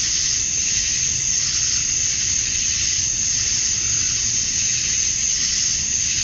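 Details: Male cicadas chirping at dusk on a summer night in Georgia, USA, calling to attract females: a dense, steady high-pitched buzzing chorus with a soft, slow pulsing swell and no break.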